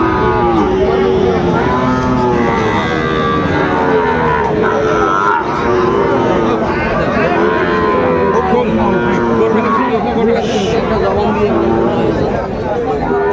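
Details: Cattle at the Aftabganj livestock market in Dinajpur, where Sahiwal bull calves are traded at the opening of market day on 2 September: overlapping low, drawn-out moos rise and fall throughout, with steady crowd chatter and bargaining voices beneath.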